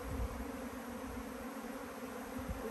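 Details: A swarm of about 10,000 honey bees flying around a person: a dense, steady low buzzing hum with an even drone throughout, with faint scattered crackles.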